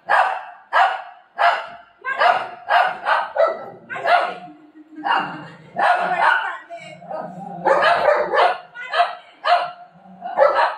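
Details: Golden retriever pestering its mummy, giving short barks in quick bursts, roughly two a second with brief pauses. A woman talks over it in Marathi throughout.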